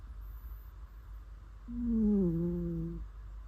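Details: Cat snoring while asleep: a single drawn-out, whistly nasal hum that starts steady and then dips lower, about 1.3 seconds long, against a faint low room rumble.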